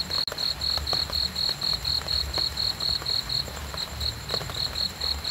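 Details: Cricket chirping for sleep and relaxation: short, high, even pulses repeated about four times a second in a steady train, with a faint low rumble and soft ticks underneath.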